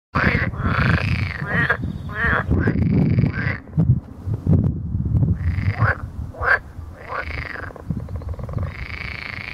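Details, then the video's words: Edible frogs croaking in loud, overlapping bursts, each a rasping, arched call lasting about half a second to a second, repeated irregularly over a low rumbling background. "rana esculenta"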